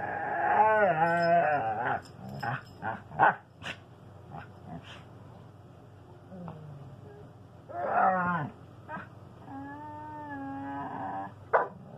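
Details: Two pet dogs, a standard poodle and a husky, talking to each other indoors: drawn-out, wavering howl-like moans and short yowls, rising and falling in pitch, with brief pauses between bursts.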